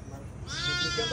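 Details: A goat purchased for an aqiqah sacrifice bleats once, a loud, bright, slightly wavering cry that starts midway and holds to the end, over a constant low background hum.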